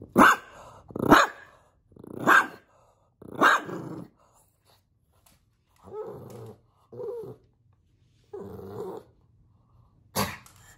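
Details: Pug named Bowser barking at puppies playing on the television indoors: four sharp barks about a second apart, then softer grumbling woofs with pauses, and one last sharp bark near the end.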